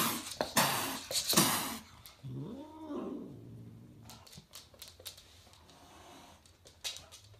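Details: A domestic cat gives a single drawn-out, arching meow that rises and falls, preceded by loud scraping and thumping noises and followed by low room hum and scattered clicks.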